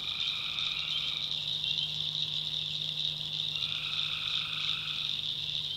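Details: North Carolina backwoods at night, tree frogs in a swamp: two longer drawn-out buzzy calls separated by a gap of about two seconds, beneath a loud steady shrill chorus and a low droning hum.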